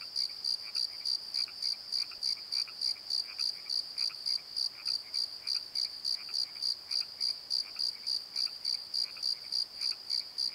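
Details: Night-time crickets in a valley bottom near the Pozo Night Tree, trilling in bright, even pulses roughly three per second, with softer, lower chirps flickering underneath.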